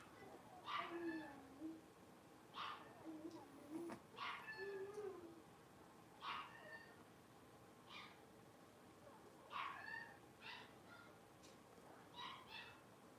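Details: Blenheim Cavalier King Charles Spaniel puppies, a litter of five born at New Year, playing together in an indoor puppy pen; a string of short, high, harmonic yips, about eight in thirteen seconds at irregular intervals, over a quiet background hiss.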